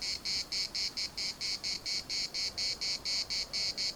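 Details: Cicadas sing in Larnaca's municipal park, a shrill grating buzz pulsing evenly about twice per second, each burst short and separated by brief dips, with no other clear sounds.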